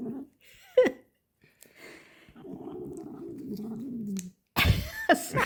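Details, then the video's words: Female cat lying in a man's arms while being fed a treat, licking and enjoying each bite: a low steady purring rumble for about two seconds, with short murmurs and a louder burst of mixed noise at the end. "Cat Lies in Person's Lap and Enjoys Treat Making Hilarious Sounds"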